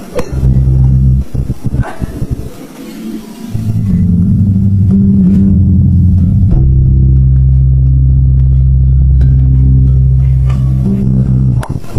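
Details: Steady guitar and bass music plays throughout, with a deep, droning low end and a brief dip near the start; no animal voice is heard.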